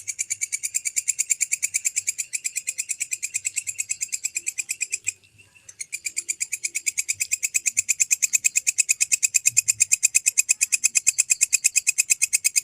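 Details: Grasshopper known locally as walang kecek, recorded as a training sound for lovebirds: a fast, steady, high-pitched ticking trill of rapid pulses, about three per second bursts, briefly pausing midway, otherwise continuous.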